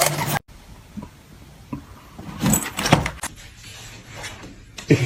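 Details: Clattering, rustling and vehicle-like noise with bumps and knocks, no animal voice.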